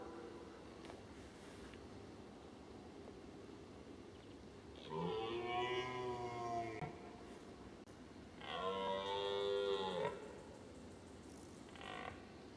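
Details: Red deer stag roaring during the rut in Weerterbos on 29 September 2011, alone in a meadow: two deep, drawn-out, harmonic roars of about two seconds each over a hushed background.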